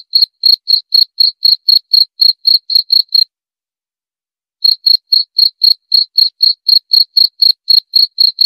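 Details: High, bright cricket chirps at a brisk pace of about four a second, broken by a pause of nearly a second and a half before the same even rhythm returns; quiet background.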